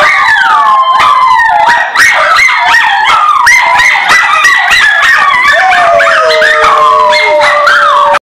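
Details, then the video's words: Schnauzer singing in a continuous run of loud, quavering howls with overlapping sliding tones. A long, steady, lower note holds near the end. "Schnauzer singing"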